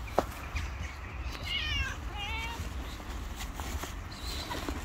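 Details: Hungry stray cat on the street waiting to be fed, giving two short wavering meows in quick succession midway, over a constant low rumble of traffic or street noise.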